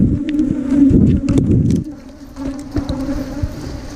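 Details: Wild ground-nesting cavity bees, smaller than kept honeybees and giant honeybees, at a nest under the ground or in a termite mound during honey hunting: a steady low droning hum, loudest in the first two seconds, with low thuds and handling noise.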